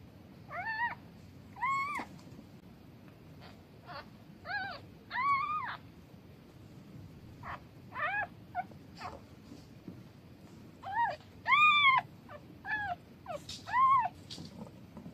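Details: Newborn kitten with its mother cat, meowing: about fourteen short high harmonic mews, many with an arched rising-falling pitch, coming singly or in quick pairs with brief pauses, over a quiet low background hum.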